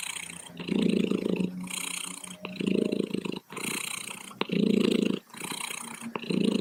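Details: Domestic cat purring steadily, a low rumbling vibration that swells and fades with each breath, louder phases alternating with softer ones roughly every one and a half seconds; no other sounds.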